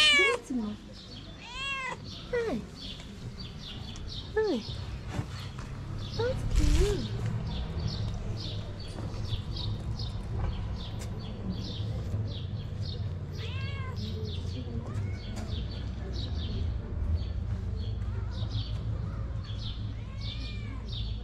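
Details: A stray mother cat in Morocco, hungry and nursing kittens, pleads for food. A burst of short wavering meows comes at the start, then sparse cries later, under steady low traffic-like rumble.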